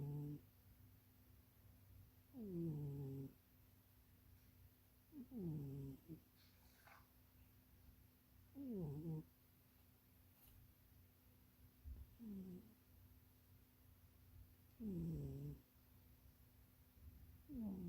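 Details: A house cat called Munchie snores while dreaming, curled up asleep in an undersized box. Low, gliding, downward-bending snore tones repeat about every three seconds, with near-silent pauses and a steady background hum.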